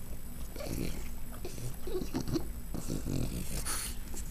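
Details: Pet dog snorting indoors, a run of short, low, rough puffs of breath repeated irregularly about once a second, with faint household noise behind.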